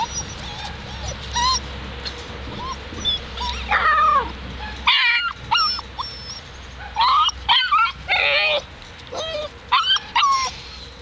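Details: Seven-week-old Alaskan Malamute puppies giving a busy run of high whimpers and squeaky yips, many rising then falling in pitch, in scattered bursts with short quiet gaps, some overlapping, across the whole stretch.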